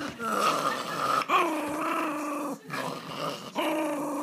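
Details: Angry Pomeranian dog, upset after its treat was taken, voicing a continuous whining growl with strained, wavering tones, broken by three brief pauses, close to the microphone indoors.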